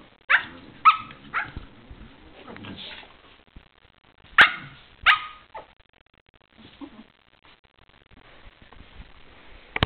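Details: Spaniels playing: irregular bursts of short, sharp barks and yips, clustered in two groups of about three, with quieter grumbles and scuffling between them.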